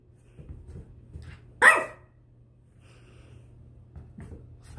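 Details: A 10-week-old French Bulldog puppy named Spud, discovering his voice while playing indoors, gives one sharp high bark in a small room; a person exclaims right after.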